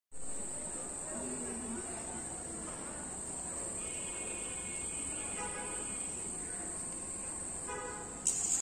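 A cricket keeps up a steady, high, ringing trill without pause.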